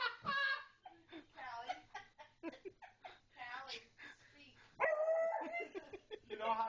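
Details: Pet beagle Jasmine barking indoors as a pug called Callie is coaxed to speak: a sudden loud, tonal, slightly wavering bark rises over steady human talk, with chatter continuing before and after.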